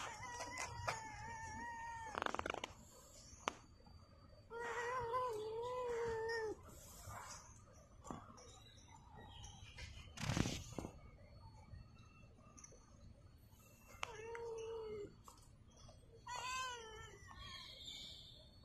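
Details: Stray tabby cat at rest during COVID-19 lockdown, giving several drawn-out, wavering harmonic meows in four or five bouts, some rising then falling, between quieter gaps, with background rumble and a few sharp knocks.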